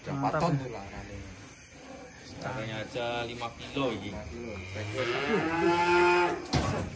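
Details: Giant cattle being unloaded from a truck in 2025: a long, drawn-out moo swells and fades near the end, after a stretch of people talking and clattering handling noise.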